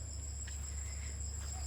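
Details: A few crickets calling around 5:45 pm on a quiet evening near a jungle homestay at Amlasole, Jhargram, West Bengal, with rain-wet dirt roads: a continuous very high, thin ringing note over a strong low hum.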